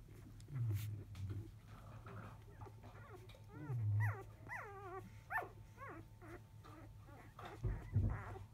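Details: Newborn field-line Labrador Retriever puppies, five days old, calling while the mother dog is away at her meal after 1 pm; a run of high wavering whimpers, several rising-and-falling squeals in a row, with low rumbling thumps and a constant hum.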